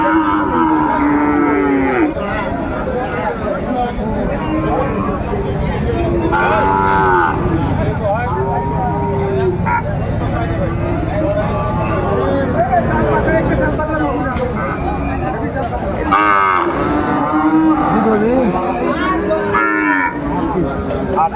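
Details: Sahiwal cattle, including bull calves, at the Aftabganj cattle market on 4 May 2024, where a Chattogram farmer buys stock; deep, drawn-out moos from several animals overlap with steady chatter of buyers and sellers.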